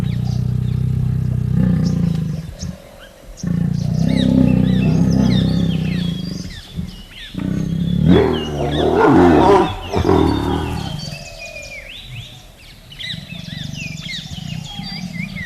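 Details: Tiger's low, rough growling rises and falls over several seconds, broken by brief gaps, while birds chirp and whistle steadily in the background.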